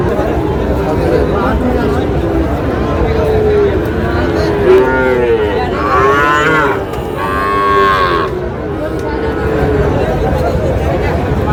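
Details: At a Tangail market in Bangladesh, Sahiwal bull calves low repeatedly, with arched harmonic moos around four to eight seconds over a steady hubbub of people and market noise.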